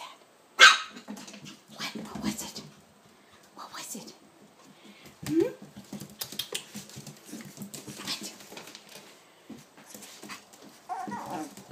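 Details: Seven-week-old puppies of Ava playing indoors: one sharp, loud bark opens, followed by a second bark and scattered scuffles, small yelps and soft noises, with a woman talking to them throughout.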